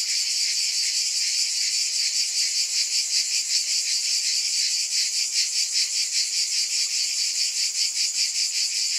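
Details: Cicadas keep up an unbroken, piercing buzz, pulsing gently at a steady rhythm near 150 beats a minute, the pulses sharpening in the middle seconds.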